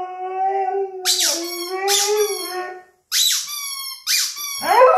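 A Siberian Husky howls in a long, wavering tone while a rubber chicken toy squeaks loudly.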